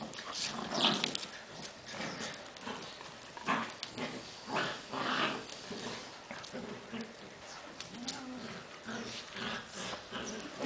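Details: Two dogs, Bahram and Beeta, having fun together; low, rough growl-like grumbles with harmonic bands recur in uneven bursts, mixed with sharp broadband scuffling noises.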